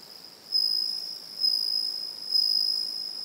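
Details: Evening song of a Japanese bell cricket with another individual calling elsewhere; three bright high-pitched ringing pulses, each swelling sharply and tapering over nearly a second, over a steady faint background tone.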